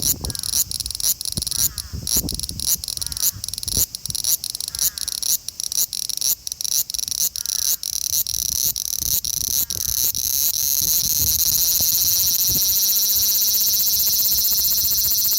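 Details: A male large brown cicada calling in Osaka city, Japan, on 5 August 2019, recorded by Xperia XZ1 smartphone; pulsing frying-like buzz for ten seconds, then a steadier unbroken sizzle with a faint hum beneath.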